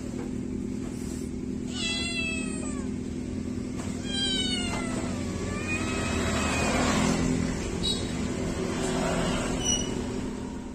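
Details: Kittens meowing after bath time: several high, harmonic mews with falling and arched contours, some overlapping, spread across the clip over a steady low hum.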